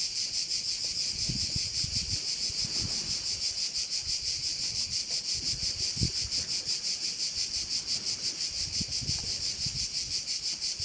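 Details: Korčula, Croatia, bay setting: a thick, high buzzing cricket chorus with a clear regular throb near three pulses a second, some gentle wind noise below.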